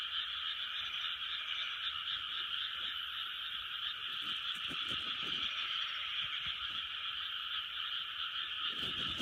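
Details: Frogs in full chorus in 2020, an unbroken high droning of many overlapping croaks, with occasional soft knocks and a short rustling noise near the end.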